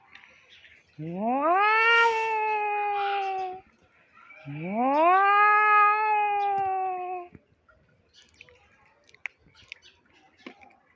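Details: Stray cat giving its fighting sound, two long moaning yowls that swoop upward and hold a steady, harmonic-rich wail for about three seconds each, followed by quiet with faint clicks and rustles.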